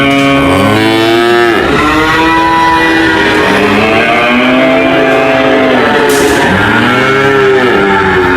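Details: Cows mooing loudly and repeatedly, long drawn-out bellows with strongly arched, rich harmonic tones, several overlapping calls one after another, with a faint vehicle-like hum beneath.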